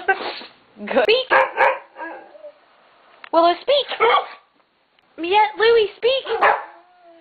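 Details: Three pet dogs barking on the command "speak": short, sharp barks in quick clusters of three or four, separated by pauses, with a woman's voice repeatedly giving the command and praising them between barks.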